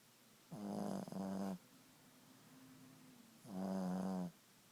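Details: Ziggie the Boston Terrier asleep at nap time, a long grating snore with a strong low hum, a faint lingering drone, then another full snore.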